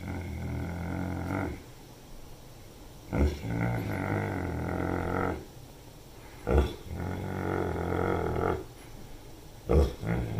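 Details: Newfoundland dog named Dethan, a Landseer, in Sollentuna, Uppland, Sweden, on 25 February 2022, talking in long low groaning, grumbling drawn-out vocal runs with harmonics, broken by short breaths about every three seconds.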